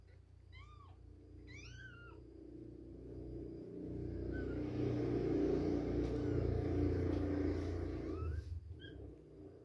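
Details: Baby kittens two weeks old at milk time: two short, high, bent mews open the recording, then a loud low rumbling noise takes over, with faint squeaks near the end.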